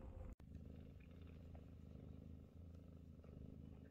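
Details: Close, pulsing purr from Scottish Fold mother Chloe lying calmly as her kittens compete to nurse; the rumble holds steady and rhythmic with one brief break near the start.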